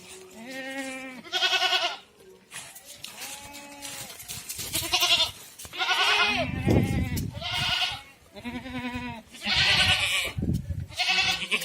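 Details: Goats at a farm in Ajmer, Rajasthan, bleating loudly and repeatedly: wavering, nasal, harmonic-rich cries roughly every one to two seconds, several overlapping voices, with quieter low bleats between and a brief thump near the middle.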